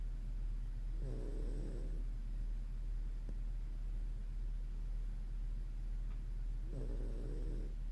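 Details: Two hoarse, breathy snores from Moko, a Toy Poodle asleep, each lasting about a second and separated by a quiet pause, with steady low background hum throughout.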